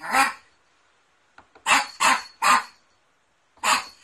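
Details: Poodle barking, part of a poodle barking compilation: loud, hoarse single barks, one at the start, then three in quick succession about a third of a second apart, and a final bark after a pause.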